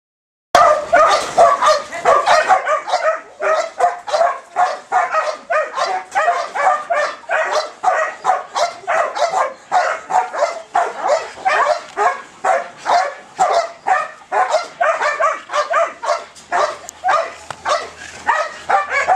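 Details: Belgian Malinois dog with high ball drive, barking in rapid excited bursts, about two to three barks per second, sharp yelping tones kept up nearly without pause.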